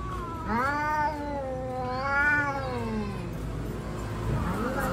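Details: Yowling from fighting street cats: two wavering, moaning howls rise and fall in pitch, then trail off into low rumbling noise, with a faint rising whine returning at the close.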